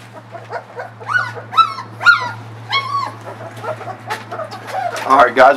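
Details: Puppies nearly four weeks old whining eagerly at evening feeding time, a litter fed puppy mush before their mother returns to nurse; clear rising-falling whines, about one every half second, with a steady low hum and a brief clatter at the end.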